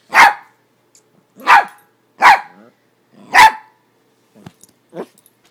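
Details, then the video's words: Four sharp, bright barks from Yorkshire Terriers Neko and Maggie Mae during play, spaced about a second apart, then a couple of faint softer yips. "Yorkie play"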